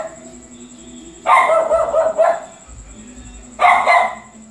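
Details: A dog barking: a drawn-out, wavering bark lasting about a second, then a brief pause and a sharp double bark, over a faint steady high background tone.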